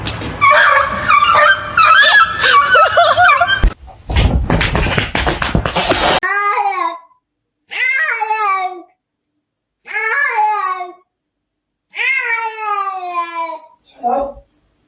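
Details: Domestic cat in a home compilation of funny cat moments. After a burst of human talk, laughter and clatter, it gives a series of drawn-out, downward-bending meows, one about every two seconds, separated by silence.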